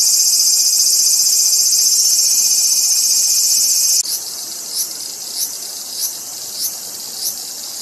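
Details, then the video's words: Cicada giving a loud, dense, sustained buzz for four seconds, then dropping to softer short pulses repeated about every half second. "som de cigarra"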